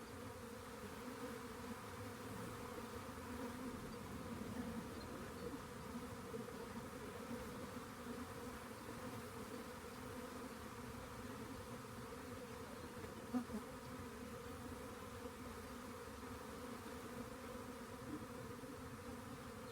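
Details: Long, even hum of a honey bee swarm located beside a rain gauge, a dense low buzzing drone with one brief click late on.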